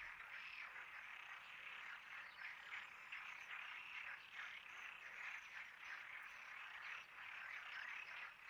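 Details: Dense chorus of many frogs, a steady unbroken mass of quick overlapping croaks with slight swells in loudness.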